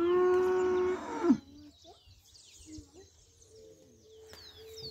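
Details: Cattle: one loud, steady, even-pitched moo lasting about a second that breaks off with a short downward slide, followed by scattered bird chirps and faint voices in the background.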